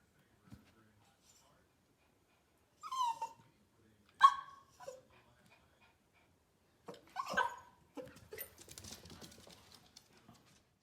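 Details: West Highland White Terrier puppies reacting to a bird: scattered high whines and short yips, a single sharper bark near the middle, ending in a rougher whimpering bark with scuffling.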